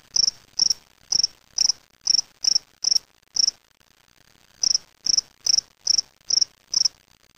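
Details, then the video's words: Gryllus veletis, a spring field cricket kept in a small cage in Waterloo, Ontario, Canada, May 25, 2007; steady series of clear trilled chirps about twice per second, a one-second silence midway, then chirping resumes. "Cricket singing in a small cage"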